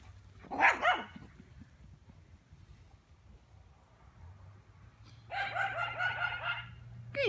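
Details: Gracie Lou, a Lowchen or Cane Corso, on a break from her babies in freshly cut grass; one loud bark early, a long pause, then a rapid run of overlapping yapping barks lasting over a second, another bark at the close.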